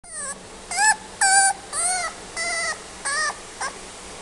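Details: Female Kaninchen Dachshund giving a series of seven high, tonal whining whimpers, each under half a second, some rising then falling, spaced roughly every half second over a quiet background.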